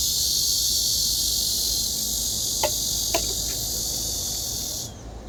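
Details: During cicada season, near a freshly moulted cicada, a cicada's steady, hissing drone fills the air, with a few faint clicks near the end.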